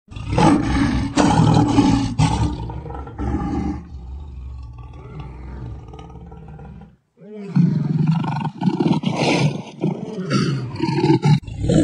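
A lion gives deep, rasping roars in heavy bursts, followed by a quieter stretch and a voice.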